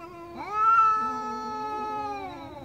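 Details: Angry cat giving one long, drawn-out meow that starts abruptly, holds an even, slightly falling pitch for about two seconds, then fades.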